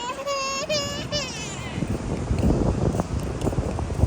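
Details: Pet monkey KaKa, raised by a family since infancy, calling in fright on meeting crabs at the beach: a high, wavering, harmonic squeal given in three quick pulses over about a second and a half, then wind and surf noise with scuffling.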